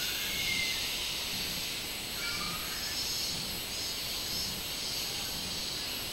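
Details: A minmin cicada, recorded on 24 July 2016, gives a loud, shrill drone that swells and fades in steady pulses about once a second.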